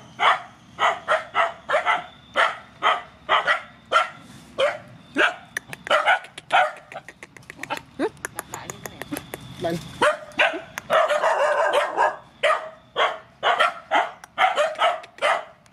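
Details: Mother dogs and puppies from a rescue, being fed, bark in a rapid, uneven string of short yaps, several dogs overlapping; a person talks faintly beneath the barking.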